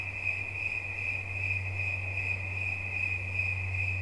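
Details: Relaxation recording of a cricket, its high pulsed trill running without pause, with a steady low hum beneath.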